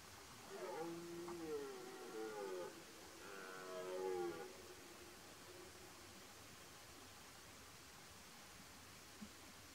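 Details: Red deer stag with twelve antler points, rutting in 2023, gives two drawn-out, wavering moaning bellows of about two seconds each, rich in harmonics and sliding slightly downward, followed by several seconds of quiet background hiss.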